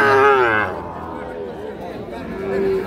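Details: Sahiwal bull calves at Ambari cattle market, Parbatipur, Dinajpur, Bangladesh, 13 December 2025: a brief harmonic moo rises and then falls in the first half-second, followed by market chatter and human voices.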